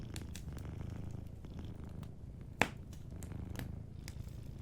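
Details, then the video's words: Sleeping cat with a soft, low, rhythmic purr near a fireplace, with light crackling and one sharp snap of burning wood partway through. "Sleeping Cat 🐱💤Fireplace & Soft Purring"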